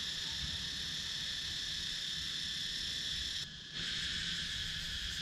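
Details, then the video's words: Cicadas calling in wooded countryside of Sakon Nakhon, Thailand, recorded on a GoPro Hero 9: a dense, steady high buzzing chorus that cuts out briefly near the middle, then resumes just as strongly. "Cicadas Sound"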